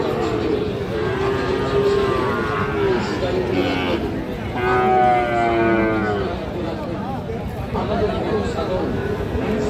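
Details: Sahiwal bull calves at Raniganj cattle market, 22 December 2024, with drawn-out harmonic moos rising and falling amid steady crowd chatter and market noise.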